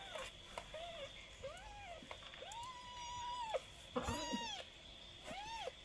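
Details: Twenty-day-old kitten giving a run of short, high arched meows, each rising then falling, about one per second, some thin and squeaky, indoors with a faint steady hum behind.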